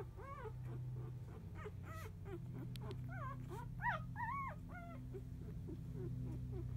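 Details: Four-day-old field-type Labrador Retriever puppies, newborn litter, sleeping; a rapid series of short, high, squeaky whimpers and peeps with rising-falling inflections, over a steady low hum.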